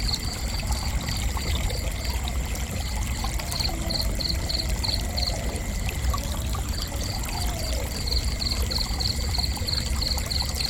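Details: Cricket chirping in quick high pulsed bursts about three per second, pausing for roughly a second midway before resuming, against a steady deep rumble.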